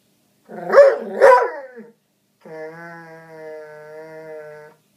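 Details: A foxhound and springer spaniel mix dog barking at a couch: two harsh barks close together, then a long, steady, tonal howl-like whine held for about two seconds.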